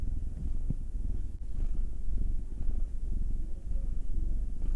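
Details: Purring domestic cat being rubbed by hand, one of a pair: nine-year-old black tom Will or two-year-old tortoiseshell Munchkin female Anzu. Soft, throbbing low purr, steady and unbroken, with faint handling rustles.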